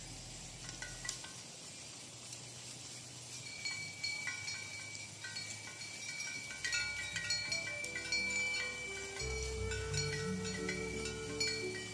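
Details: Bright tinkling chimes and bell tones ring repeatedly over a low hum, and no animal calls can be picked out.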